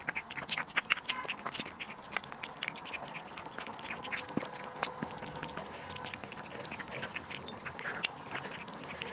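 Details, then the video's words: Cat eating duck liver and sterilized egg indoors, a steady run of wet, clicky chewing and smacking bursts through nine seconds, with sharper crunchy bites scattered throughout. "cat eating duck liver & sterilized egg"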